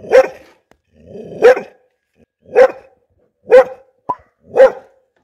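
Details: A mixed bull terrier, barking angrily, gives single deep, harsh woofs, spaced about a second apart.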